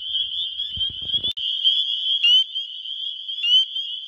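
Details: Spring peeper males in Wisconsin spring, calling for mates, phone recording: an unbroken shrill chorus with a couple of clear rising peeps, plus a short low rumble and a click early on.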